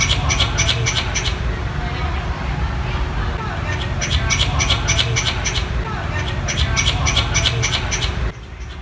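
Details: Small squirrel calling for a mate in an urban 'concrete jungle': bouts of sharp, rapid clicking chatters, several per second, broken by short pauses, over a constant low rumble of traffic.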